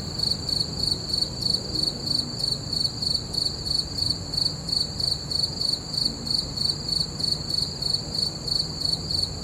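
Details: Under a full moon at night, crickets keep up a bright, ringing chirp, rhythmic pulses repeating without pause against a quiet, low background murmur.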